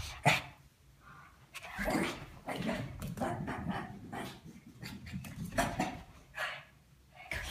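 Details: Lacey, a female Shih Tzu, doing her zoomies and twirls in 2015 footage: short gruff barks and growly bursts over scrabbling and scuffling noise, with a few louder broadband yaps spaced across the run.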